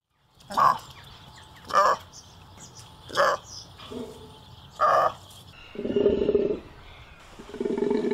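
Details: Golden takin (Budorcas taxicolor) calling: four short, harsh honking bursts spaced about a second apart, then two longer, lower, rough, roar-like grunts near the end.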